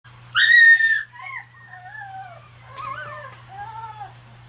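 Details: Red Shiba Inu male puppy, born July 5, eating in a frantic hurry as if starving. A loud, high squealing whine opens, then softer wavering whimpers rise and fall, over a steady low electrical hum.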